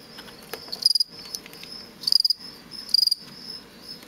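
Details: Fall field cricket (Gryllus pennsylvanicus), captive-bred offspring of crickets collected from a road verge near Lethbridge, Alberta, a male kept in a tupperware bin giving aggressive song used in contests: three short bursts of rapid high chirp pulses about one second apart.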